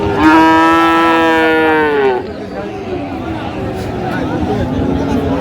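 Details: Friesian or crossbred bull calves at a cattle market in Raniganj, Dinajpur, Bangladesh, on 15 January 2025, while they are being bought and sold. One long, steady low moo lasts about two seconds and falls at the end, followed by the murmur of a crowd.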